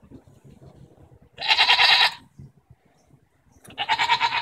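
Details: Arguing goats on June 24, 2014 give two strong, rough bleats, each under a second long and quavering with a pulsed texture, with soft low rustling in the gap between them.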